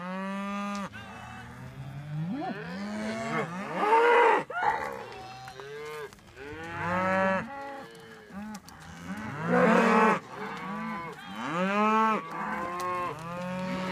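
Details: Highland cattle and their Whitebred Shorthorn calves following a herdsman to a new field, several animals mooing in overlapping bouts, some higher calf-like calls among deeper lows, about every two seconds.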